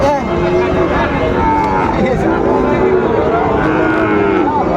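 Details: Sahiwal bull calves at a Kushtia cattle market in Bangladesh, 13 February 2025: overlapping drawn-out moos rise and fall from several animals at once, amid constant human talk and market bustle.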